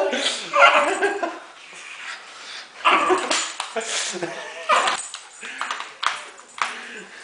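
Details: Jack, a pet dog, attacks a singing Christmas toy cow indoors, giving sharp broadband barks and growling bursts, roughly one each second, while a man talks over the commotion.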